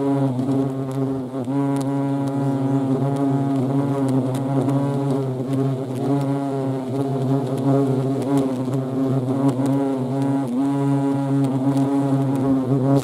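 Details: European hornets (Vespa crabro) in action, a steady low droning buzz with a stack of wavering overtones, several wingbeat tones overlapping and shifting slightly in pitch throughout.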